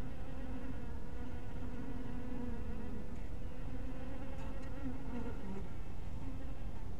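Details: Low continuous drone of honey bees at a hive at dusk, the buzzing tone holding fairly steady with soft overtones and a few short clicks near the middle.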